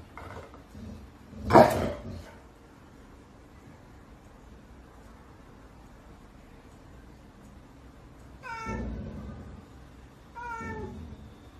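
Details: Pet cat indoors giving two short, rising-then-falling harmonic meows about two seconds apart near the end, after a sharp knock early on and a steady low background hum.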